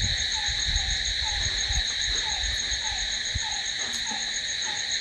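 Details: A constant high trilling drone from crickets at night, steady throughout, with a fainter lower chirp-like note recurring about every half second and some low background rumble.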